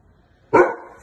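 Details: A Great Dane gives one abrupt, voiced, ringing yelp that trails off within half a second, crying in distress because its owner took another dog for a walk and left it behind.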